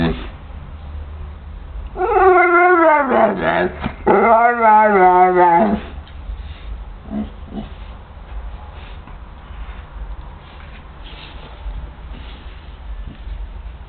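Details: Hoi Khong, a young indoor Pit Bull, 'talks' to its owner with two long, wavering, yodelling howls, each about two seconds, dipping and rising in pitch, followed by faint clicks and low background hum.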